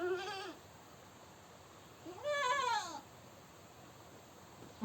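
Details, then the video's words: Goat screaming: two bleats heard over a hissy background, a short falling one at the start and a longer, rising-then-falling wavering cry about two seconds later. "Goat Sounds & Goat video, The Sound A Goat Makes, Animal Sounds, Goat Screaming"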